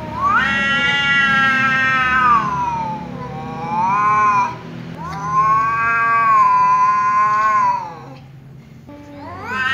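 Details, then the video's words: Loud yowling from an angry tom cat provoked by a ginger cat's persistent meowing: three long, harmonically rich wails, each swelling and bending in pitch, separated by brief pauses, with a fourth starting at the end. "angry tom cat meows loudly because ginger cat keeps meowing"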